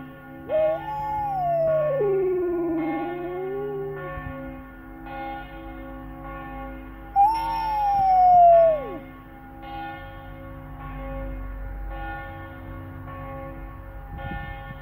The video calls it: Flat Coated Retriever FCR dog howling at church bells